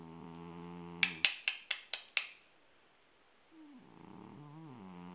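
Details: Persian cat asleep and snoring like a person, a steady low droning snore at first, then a burst of six sharp clicks, a pause, and a wavering snore resuming and bending up and down.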